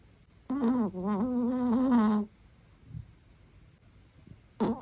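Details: Sleeping Chihuahua snoring loudly with a tune-like quality indoors; one wavering, nasal whistling snore lasting nearly two seconds, a soft breath, then the start of another snore at the end.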